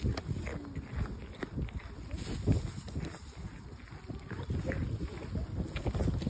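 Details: A fallow deer in a park crunches and chews on a carrot in quick, irregular bites.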